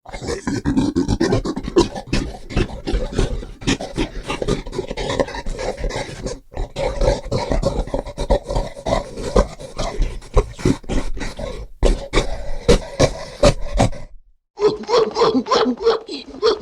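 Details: Gorilla giving a dense run of rough, breathy grunts and pants with sharp broadband bursts throughout, nearly continuous for about fourteen seconds, then a short pause before a final burst of coarse grunting.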